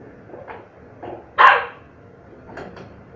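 A Chow Chow puppy gives short, sharp yips, one clearly louder than the rest.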